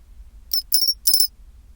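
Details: At 24°C a pine cricket rings out two quick bursts of bright, bell-like trilled chirps in close succession, high and metallic, the chinchiroririn song, with only a low faint hum behind.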